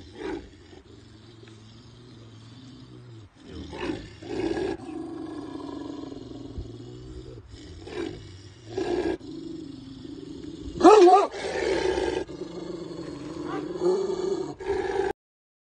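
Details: Tiger roaring in a series of deep, rough, drawn-out bursts separated by short pauses, with a louder, harsher outburst near the end.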